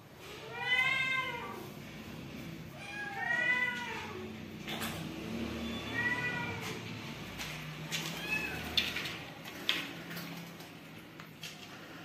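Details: Newborn kittens meowing in a home where stray cats and kittens are fed and rescued; three clear harmonic meows rising then falling, about two seconds apart, followed by fainter calls amid clicks and indoor room noise.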